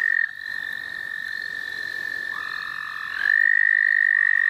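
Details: Frog trilling in the St. Olaf College Natural Lands during frog catching: a steady, high, even trill continues throughout, with a second caller joining loudly near the end.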